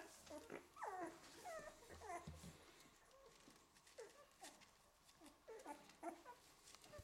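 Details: Eleven-day-old Golden Retriever puppies in a litter, squeaky whimpers and short whiny squeals in quick bursts, some with wavering pitch, crowding together then thinning into scattered yelps, with faint rustling and a low background hum.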